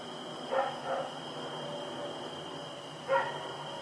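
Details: Rex the dog on the move at night, 7 October 2018, gives a quick double bark followed after a pause by a single sharp bark, with a steady mechanical hum throughout.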